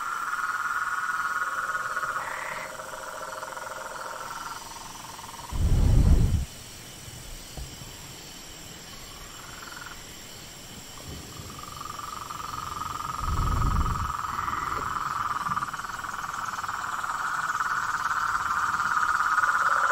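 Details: Frogs calling in natural surroundings: layered steady trills at two pitches fill the background, broken by two deep rumbling bursts, and the chorus swells louder toward the end.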